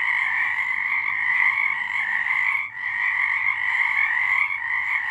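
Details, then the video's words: A nocturnal frog chorus from March 2023 forms a near-continuous, shrill trilling blanket of many overlapping voices. A single short dip comes midway, with no other sounds standing out. "Frogs singing"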